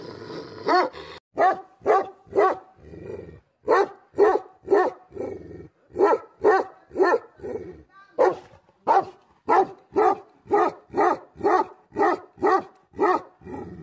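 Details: Angry Tibetan Mastiff (Bhote Kukur) barking in a long, steady volley of deep, harsh woofs, about two per second, with a few softer rasping breaths between the louder barks.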